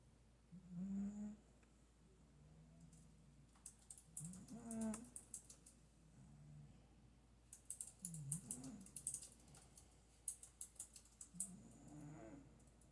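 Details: Domestic cat snoring at home: low, rasping snores in paired breaths about every three to four seconds, with bursts of quick sharp clicking or tapping in the second half.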